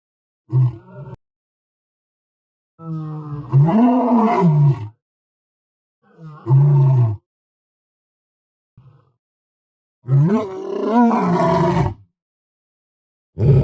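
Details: Series of lion roars and grunts: short low grunts between longer, rough roars that swell upward in pitch and then sink, each lasting about two seconds, separated by silences.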